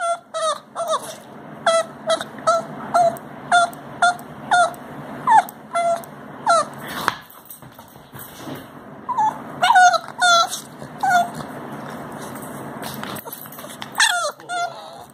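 A Boston Terrier gives a run of short, high yips and whimpers in quick bursts.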